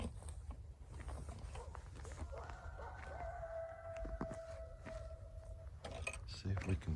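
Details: A coyote, one of several coming out pretty close by, gives a long, steady howl that rises slightly at the start and then holds level for about three seconds, with low rumbling, footsteps and quiet speech nearby.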